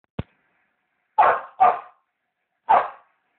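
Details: Samoyed dog barking indoors at a television show, three sharp broadband barks after a brief click, the second and third close together, the last about a second later.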